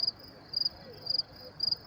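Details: Crickets chirping at night by the Willets Point train station in New York City, May 28, 2024, around 10:30 p.m.; high, pulsed chirps of three or four rapid pulses, repeated about every half second over a quiet background.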